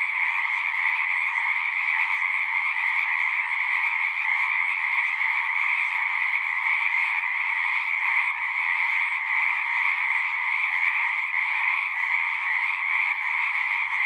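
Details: Massed frog song: a thick, uninterrupted wall of overlapping trilled croaks, a lower band beneath a higher one, level and continuous from start to finish.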